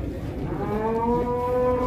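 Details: Cattle at an Indonesian livestock market; a rising, drawn-out moo with bright stacked harmonics swelling across the clip over low rumbling background noise.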